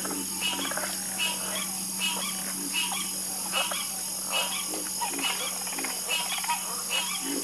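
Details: Frogs calling together in a soothing chorus, each croak a short buzzy pulsed burst, repeating about once a second and overlapping between callers, over a constant shrill high-pitched background drone.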